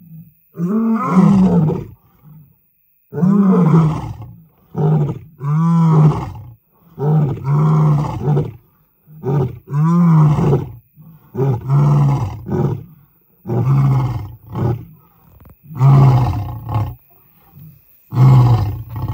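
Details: A wild African lion pair mating at night in the remote Serengeti, Tanzania, about a mile off, recorded with the engine off: a long run of deep, throaty grunting roars, each about a second long, in quick rhythmic succession.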